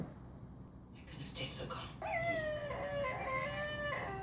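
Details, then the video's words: Jack, a dog, howling along to a recording meant to set dogs off. After about two seconds of mixed, blurry sound, a long steady tonal howl rises and holds with rich overtones, then wavers and drops slightly at the end. "Dog howling to "guaranteed to make your dog howl ""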